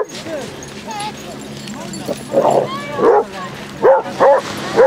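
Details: Basset Hounds, thirty of them, walking on sunny Exmouth beach in Devon; low murmuring voices at first, then a run of four or five loud, clipped barks in the second half.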